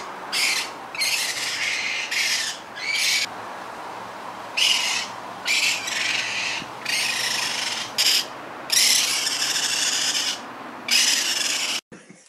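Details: Harsh, raspy hissing from young raccoons comes in uneven bursts of half a second to a second and a half, separated by brief pauses, with faint squeaky edges in some bursts before an abrupt stop.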